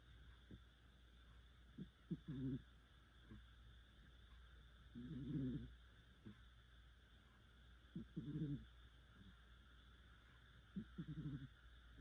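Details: Deeply snoring cat asleep, drawing long grating breaths roughly every three seconds, some stronger and throatier than others, with faint clicking sounds in between and a low background hum.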